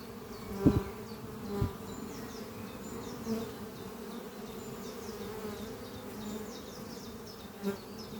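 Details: Honey bees in flight at the Doppio hive, housed in an old French oak chest under trees, in spring: constant low hum punctuated by three sharp close buzzes of passing bees, with twittering birds faintly behind.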